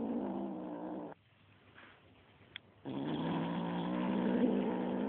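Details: Kitten getting mean with a feather toy: a rough, buzzing growl, then a short quiet gap with a faint click, then a longer steady growl that holds to the end.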